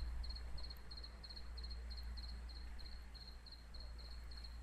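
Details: A cricket sings at night in Jelgava, Latvia, after more than a week of nightly chirping; crisp, high double-clicked chirps repeat at a brisk, regular pace against steady low-frequency background noise.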